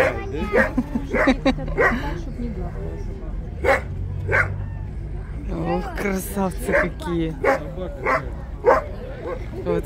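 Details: Steller sea lions gathered in a city seaport on 10 April 2022, barking in rough, gravelly bursts, some single and some in quick clusters, with a low droning rumble underneath.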